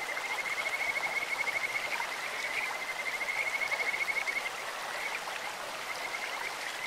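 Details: Kajika frogs calling in a clear stream, their sweet, bird-like voices forming high, rapid pulsed trills that hold steady for several seconds, pause briefly, then resume over a constant hiss of rushing water.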